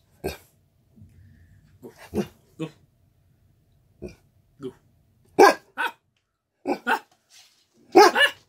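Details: Canadian Eskimo Dog demanding attention indoors, giving short sharp barks in irregular bursts, single and paired, growing louder toward the end with quiet pauses between.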